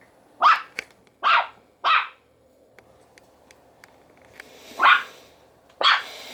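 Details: A male Yorkshire Terrier puppy gives sharp, high-pitched barks at uneven intervals.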